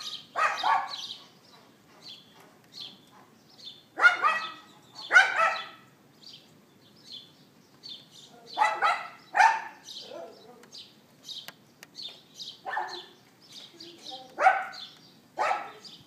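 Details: Recorded on an iPhone 4S at 11:31 AM on 18 April 2012, a neighbour's dog yaps in short bursts of one or two barks every few seconds, while small birds chirp steadily in between.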